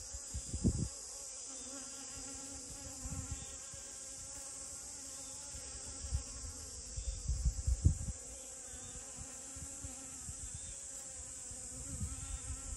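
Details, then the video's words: Honey bee at rose moss blossoms, its low droning buzz holding steady while soft thumps and rustles break in now and then, with a continuous high hiss in the background. "꿀벌과 채송화"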